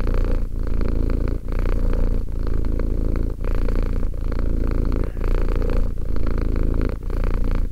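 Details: Two-year-old cat Romek purring, a thick low-pitched vibration in long pulses separated by quick breath gaps, steady and even in loudness throughout.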